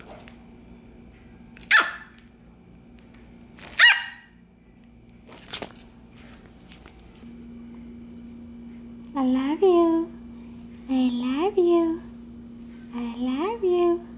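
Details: Imperial Shih Tzu puppy, twelve weeks old, in his first week at a new home, gives high rising-and-falling whines in three short bursts near the end, after earlier clatter and soft voices of a person talking to him.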